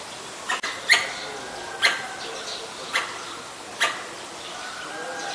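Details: Pallas's squirrel (Callosciurus erythraeus) calling at danger in Ubon Ratchathani, Thailand, 1 January 2023, filmed on a Nikon P1000: sharp, abrupt chucks roughly once a second, five in all, over a quiet hiss.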